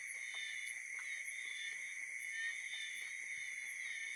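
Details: On a night of gentle rain in Chiang Mai, Thailand, a dense chorus of frogs gives mating calls that blend into a steady, shrill trilling drone.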